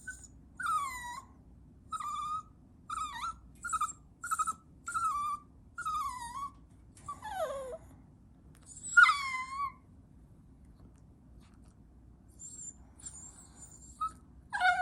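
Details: Chihuahua puppy giving a run of high whining whimpers indoors, short descending squeals repeated roughly every half second to second, one longer falling cry near the middle, then softer high squeaks toward the end.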